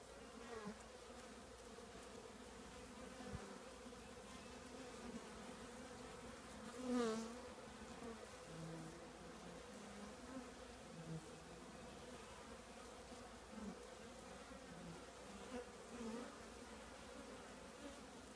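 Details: Continuous droning hum from a honey bee colony housed in an old trash can, even and low-pitched throughout, with one brief louder swell as a bee flies near at about seven seconds.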